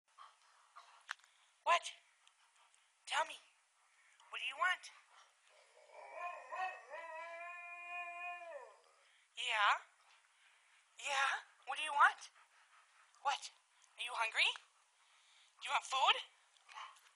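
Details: Two Alaskan Malamutes vocalising at feeding time: short yelping barks and grumbles repeated every one to two seconds, with one longer, wavering howl held for about two seconds midway.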